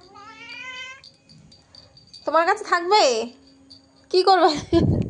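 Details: Cat with a steady, thin rising call, then two loud bending meows rich in overtones, followed by a rough noisy rustle at the end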